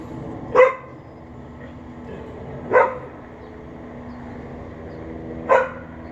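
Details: An unsupervised outdoor dog barks at a neighbour who is watching from a bathroom window, 11:43am, May 28, 2022; three single barks spaced two to three seconds apart against steady low background noise.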